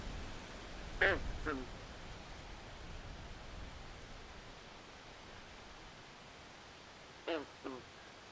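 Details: Swamp at night with a frog uttering two quick, harmonic croaks that fall in pitch. About six seconds of low background rumble separate that pair from a second, fainter pair.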